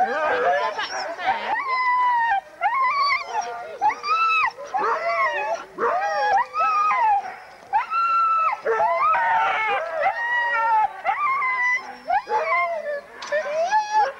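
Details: Many huskies at a November 2001 sled dog race in the Forest of Dean, captured on VHS tape: bursts of excited yelping and arching howls come in waves, separated by brief quieter gaps, with several dogs calling at once.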